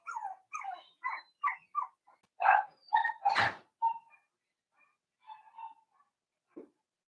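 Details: Four-week-old Cavalier King Charles Spaniel puppies, Daisy's litter, in a pen: a quiet series of short, falling yips about twice per second, one louder broadband cry in the middle, then softer whimpers trailing off.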